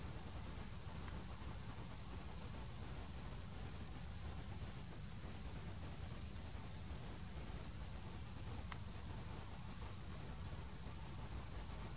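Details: Steady low rumbling noise, like distant traffic or wind, with no animal calls heard.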